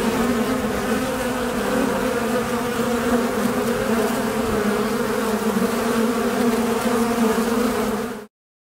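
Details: Western honey bees recorded in Bolinas, California, in 2021 fill the air with a thick, unbroken drone: a low hum layered with overlapping wingbeats, steady in pitch and loudness until it cuts off abruptly.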